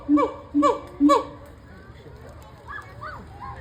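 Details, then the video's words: Gibbon at the Cincinnati Zoo giving three loud, harmonically rich hooting calls in quick succession, each with a sharp rising-then-falling inflection, about two per second, followed by softer, higher sliding notes and faint background murmur. "Gibbon making sounds"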